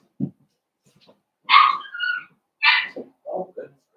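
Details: Blenheim Cavalier King Charles Spaniel puppies from a litter of five born on New Year's, in a home puppy pen on pick-up day: two sharp, bright yelping barks with squeaky tonal tails, a low grunt beforehand and soft voices between.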